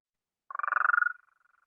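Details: Gulf Coast toad, the most common toad of the northern Blackland Prairie, gives a long, rapid, pulsed trill that swells in strength, then fades into a thin, fast rattle.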